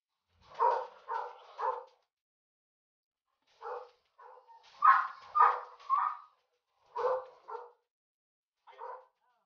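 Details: Golden Retriever stud session between Dugal and Lyla, a dam from Quebec; irregular bursts of short, mid-pitched barks and yips in clusters of two or three, with pauses between groups, indoors.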